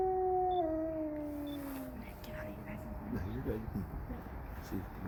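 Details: A gray wolf at Bay Beach Wildlife Sanctuary, on 21 January 2023, gives a long, smooth howl that slowly slides downward, followed by people talking.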